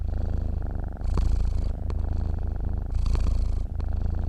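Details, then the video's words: Sleeping cat purring close up indoors: a deep, continuous rumbling purr that swells with each breath, the louder inhale phase returning about every two seconds, with a few soft clicks. "KUCING TIDUR MENDENGKUR"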